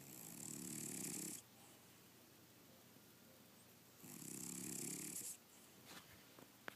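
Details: A sleeping cat snores in two long rasping breaths, each about a second and a half, separated by quiet pauses, in a small indoor room, with a few faint clicks near the end.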